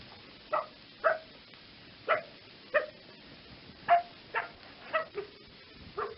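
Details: A fox barking in quick, harsh single yaps, roughly ten in six seconds, each brief with a slightly lower drawn-out ending, over faint steady background noise.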